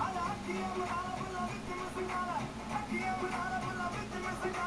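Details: Strummed guitar music with faint speech underneath, steady and continuous, with no barking or other animal sounds.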